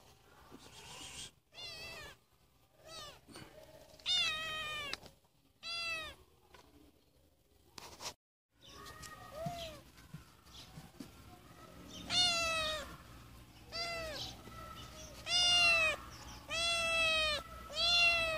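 A Siamese cat meows repeatedly, loud drawn-out cries arching up and down in pitch.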